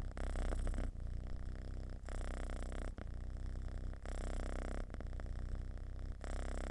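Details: Domestic cat giving a deep, loud purr, linked to contentment and relaxation. A steady, close, low rumble with short breath breaks roughly every second, near 1, 2, 3, 4, 5 and 6 seconds.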